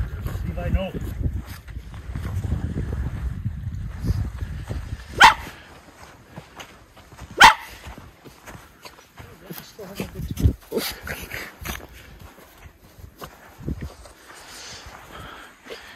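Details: Miniature Schnauzer brothers running unleashed and frolicking in snow on their third winter outing, Aroostook County, Maine, January 6, 2023; two sharp, short barks a couple of seconds apart over a person's nearby chatter and low rustling.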